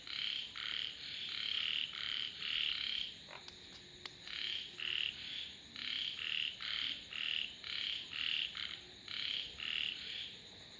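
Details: Frogs croaking in a steady series of short, bright, nasal bursts, roughly two each second, continuing through the whole stretch, with a faint click near the middle and a thin constant high hum behind.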